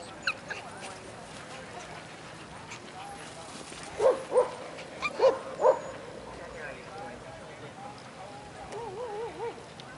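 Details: One-year-old American Eskimo Dog playing at a dog park: four short, sharp mid-pitched barks in quick succession around the middle, then a wavering whine-like tone near the end, over a steady outdoor background hum.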